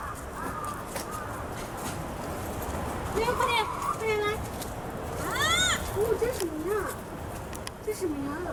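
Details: Black rhinoceros at Tennoji Zoo in Osaka, squeaking for a long time: a run of wavering, bending squeaks that dip and rise, some short and rising, clustered in the second half over a steady murmur of crowd voices.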